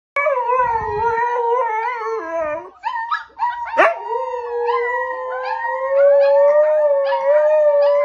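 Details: A mother Siberian Husky teaching her puppies to howl gives long, wavering howls, joined by the puppies' higher, thinner howls.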